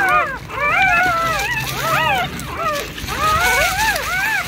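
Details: Whining linked to a mama rescue dog delivering a large litter of puppies with a foster family: clear, arched, tonal whines rising and falling in short bursts, several overlapping, over a low background murmur.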